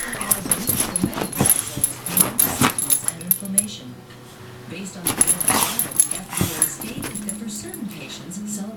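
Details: Indoors, the pet dog Putter reacts to a disliked muscle rub cream with drawn-out, low wobbling whimpers and grumbles, broken up by a person's voice and a loud television advertisement.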